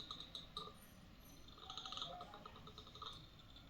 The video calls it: Gray langur teeth grinding